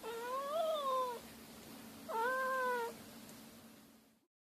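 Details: Two drawn-out wailing meows, each about a second long with an arching pitch, separated by a pause over a faint background hum. They come from a compilation of cats and kittens meowing, each with its own voice.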